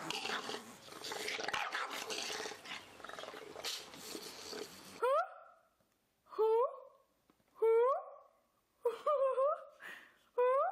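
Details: Bulldog, from a compilation of pet bulldogs, giving drawn-out whining howls that dip and slide in pitch, about four separate cries spaced roughly a second apart after a stretch of loud mixed noise and voices.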